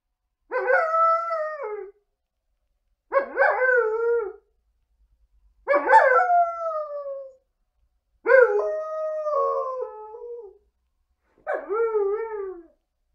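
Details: Female Alaskan Malamute howling while lounging on a couch: five separate wavering howls spaced roughly two to three seconds apart, each sliding and breaking in pitch, some starting with a yelping rise before a falling tail; otherwise quiet.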